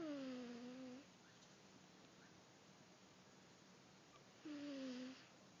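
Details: A sleeping domestic cat snoring: two whistled, nasal breaths, each sliding down then holding level for about a second, roughly four and a half seconds apart, with a quiet room hush in between.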